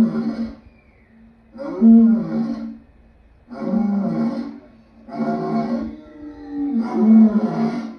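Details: A lion gives a series of five rough, throaty roars, each lasting under a second, spaced roughly every one and a half seconds, deep and harmonically rich with short quiet gaps.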